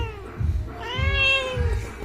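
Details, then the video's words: Irritated house cat during claw trimming utters a short, rising-then-falling meow in the middle of the clip, over repeated low thuds, with a woman's voice just after. "বিড়াল রেগে গেল"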